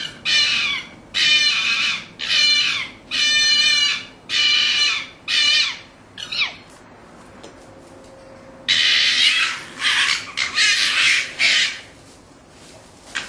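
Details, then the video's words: Fox calling at night: about six harsh, raspy bursts roughly once per second, then a quiet gap with a faint steady hum, followed by a denser run of scratchy, grating cries near the end. "fox sound at night"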